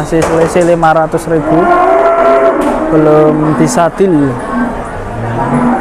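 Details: Cattle bellowing at Pasar Jelok, a livestock market in Boyolali, Indonesia: a few long, deep moos, one sliding upward then dropping, with another animal answering, amid people and market hubbub.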